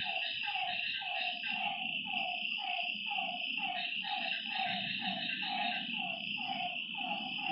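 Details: Frogs calling at night by a lakeside: short, falling, croaking notes repeated about twice a second in a steady series, over a constant high, shrill insect drone and a faint low rumble.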